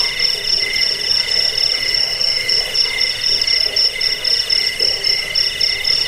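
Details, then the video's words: Shrill cricket trilling meant for scaring rats, bedtime listening and songbird tutoring: fast beating high-pitched pulses, several per second, in steady layered tones throughout. "Suara jangkik"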